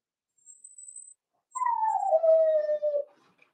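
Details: Four-week-old Cavalier King Charles Spaniel puppy in a home puppy pen giving a single thin whimper that starts high and slides steadily lower over about a second and a half, after a softer faint whine.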